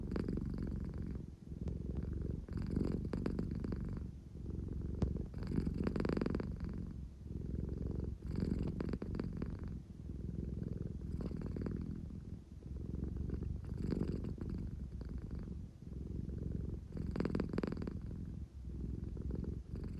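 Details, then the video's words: Deep rumbling purr from Claire, a pet American Shorthair who purrs when drowsy yet wanting to be fussed over; rhythmic inhale-exhale surges every two to three seconds, steady and unbroken, in a quiet room. "猫のクレアの猫エンジンの音 【50分ゴロゴロ】"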